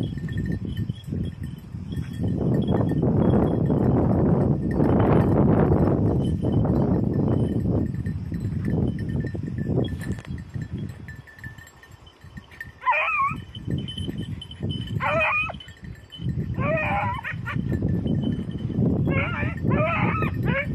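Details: Beagles in red and blue tick and lemon-white coats work hares on Crete, 2022 training. A long stretch of loud rumbling noise gives way to short, quavering, high yelps repeated every second or two, over a constant low roar.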